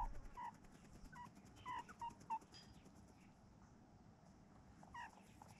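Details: A mob of meerkats sunbathing and grooming one another in a quiet farm yard make brief, mid-pitched chirps and peeps in irregular clusters, then pauses, over a steady low rumble and hiss.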